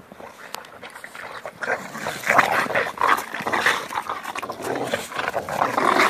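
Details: Dogs Jack and Bobby romp in a snowstorm, giving loud rough, noisy breaths and low growly play sounds in dense rasping bursts, with occasional sharp clicks.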